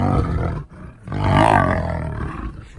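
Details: Lion on its first day in a new enclosure, walking the perimeter; a deep, rough roar swells after a brief pause, with a broad low rumble throughout and people talking faintly nearby.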